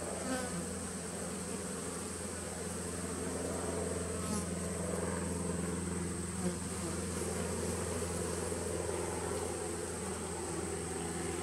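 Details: Bees of a 2017 nuc colony recorded on 19 September 2018: a steady, dense droning hum with low bands layered beneath and a faint high whine held throughout, no pauses, a soft click near four seconds.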